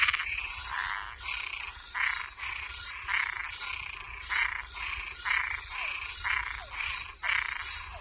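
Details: Toads and tree frogs calling at night: coarse, scratchy croaks sound roughly twice per second, swelling and fading. Occasional short descending chirps slip in over a steady high-pitched background hum.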